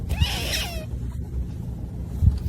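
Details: Pet cat in a compilation of cats being cats, with a sister cat nearby while napping; one clear meow lasting under a second with a falling tail, followed by low hum and soft thumps.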